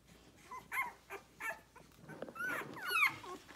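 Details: Rhodesian Ridgeback puppies six days old, nursing on their mother and loud; brief high squeaks and short whines, several overlapping, with snuffling between.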